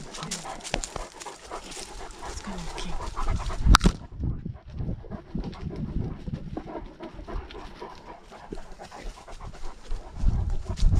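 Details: Great Dane out on a lockdown walk, recorded with a dog-mounted GoPro; quick, breathy panting bursts repeat about 100 times a minute over low rumbling movement noise, with a sharp knock near four seconds.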